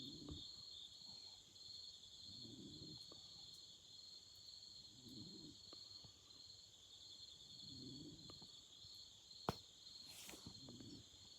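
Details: Night chorus of autumn insects by a campfire, continuous shrill ringing trills holding at two high pitches, over low muffled pulses repeating roughly every two and a half seconds and a sharp snap of fire near the end.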